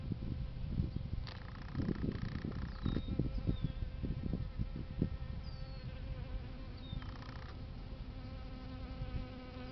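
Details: Bees feeding on a flowering plant they love; low droning buzzes of several insects fading in and out, with faint bird chirps and whistles in the background.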